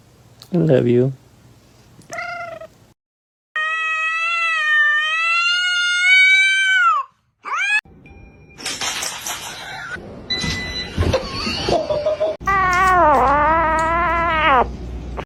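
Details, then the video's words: Domestic cats in a funny pets compilation, 'talking' to people: a short wavering meow, then a long drawn-out harmonic meow held for about three seconds, later another long wavering meow, with bursts of noise and voices between the cuts. "funny cats talking"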